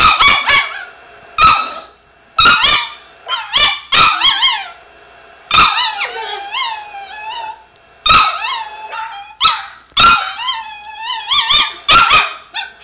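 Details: A pet Chihuahua barking at a recording of another dog barking: sharp, high yappy barks in bursts, some doubled or tripled, with short whiny yelps between, repeated throughout with brief pauses.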